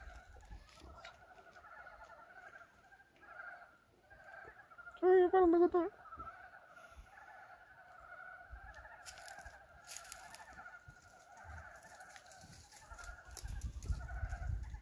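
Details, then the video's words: Frogs calling on a warm February 19, 2023, the first calls of the year, at a farm. Many voices form a steady pulsed croaking chorus throughout. A brief loud honking burst cuts in midway, and rustling noise builds near the end. "봄이 오는 소리-2023년 첫 개구리 울음소리"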